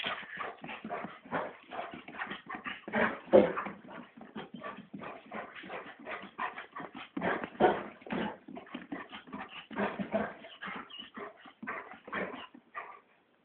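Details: Excited golden Labrador Retriever running around a yard after dinner, burning off energy; rapid rhythmic breathy bursts and scuffling steps fill the whole stretch, with occasional faint whimpers.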